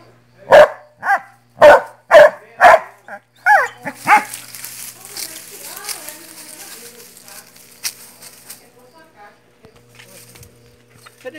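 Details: Dog barking: four sharp, loud barks about half a second apart open the recording, followed by two softer barks, then rustling, handling noise and quiet human voices for the rest.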